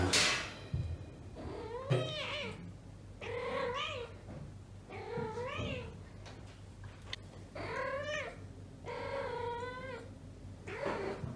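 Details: Female house cat in heat calling indoors while searching for a mate, a series of about eight wavering, rising-then-falling yowls roughly every second, some drawn out and moaning, with a sharp click at the start and a low hum throughout.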